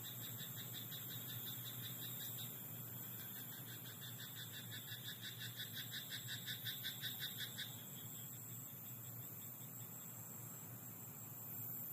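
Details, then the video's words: Frog croaking in a rice paddy at night: a fast, rattling train of pulsed croaks that swells from about the third to the eighth second, then stops, over a steady thin high whine and low background rumble. "田んぼのカエル "Croaking frog in rice paddy at night""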